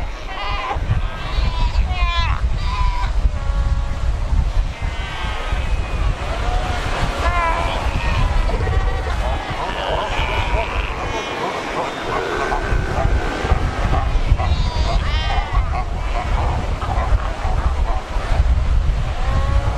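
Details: Crowded Cape fur seal colony at Cape Cross along the Skeleton Coast, rocks and ocean: scattered sheep-like bleats and quavering cries half buried under heavy low rumbling surf and wind.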